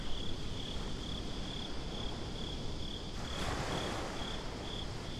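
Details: Nighttime crickets at a beach, recorded binaurally, give a continuous high, evenly pulsed chirping. A deep rumbling wash of surf runs underneath, and a brief broad whoosh swells near the middle.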